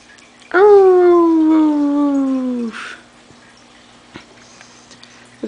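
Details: Indoors, the German Shepherd Jaime lets out a single sustained, wolf-like howl of about two seconds. It slides slowly downward in pitch and ends abruptly, followed by quiet room noise and a faint click.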